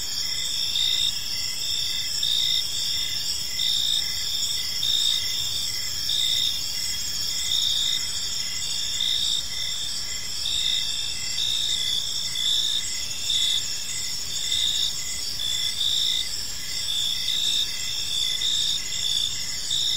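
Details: Park at evening filled with cricket song, a continuous high ringing chorus punctuated by brighter chirped bursts that come and go irregularly, about forty per minute, over a soft low environmental rumble.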